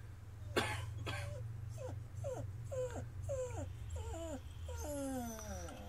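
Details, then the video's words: Household dog whimpering while a cat goes into the backyard stalking birds; short, high, falling whine notes repeat about twice a second, ending in longer drawn-out whines over a steady low hum. "Our dog Ninja whine noise over a cat"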